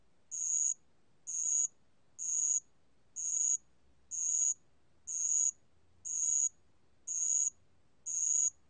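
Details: Band-legged ground cricket song made of nine shrill, high-pitched buzzing bursts, each under half a second, spaced about one second apart in a very regular rhythm, with only faint low rumble beneath.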